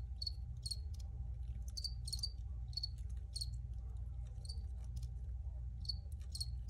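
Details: Cricket chirps, high and clipped, come in loose pairs and singles at uneven intervals while a heavy low-frequency hum fills the background.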